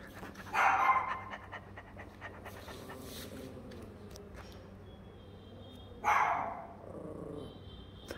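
A Yorkshire terrier gives two short, sharp yelping barks about five seconds apart.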